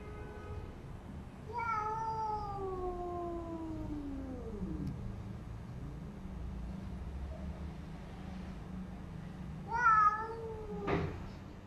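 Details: Domestic cats fighting after a white cat is brought into a new house: a long wavering yowl slowly falls into a low growl over several seconds, then a second sharper yowl and a brief thump near the end.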